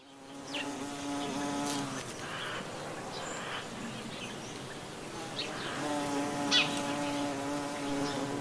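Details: In the countryside of the Gulf of Morbihan, Brittany, on 18 November 2011 in autumn, a buff-tailed bumblebee (Bombus terrestris) drones past in flight with a deep, steady hum that fades and swells again.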